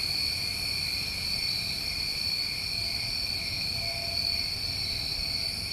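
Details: Summer crickets in New England trill nonstop, a dense high-pitched ringing drone layered in two steady bands, unchanging in loudness, over a soft low background hum.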